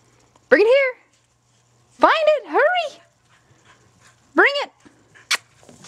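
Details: Skid, a red and white female Border Collie who lives to run and work livestock, plays fetch: three short, high yelping barks with rising-falling pitch arrive at about half a second, two seconds (a double bark) and four and a half seconds, between quiet pauses.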